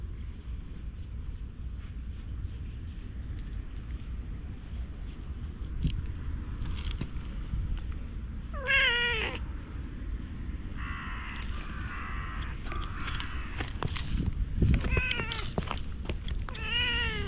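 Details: Stray cat recorded on a GoPro gives a few scattered meows, one sharp descending cry near the middle and a run of wavering meows toward the end, over a steady low rumble and rustling background.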